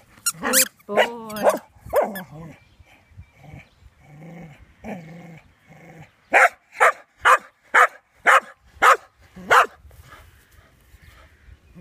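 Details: Ollie the dog, playing with a squeaky toy and wanting someone to join in, starts with squeaks and whiny noises, then fires off a quick run of eight regular barks.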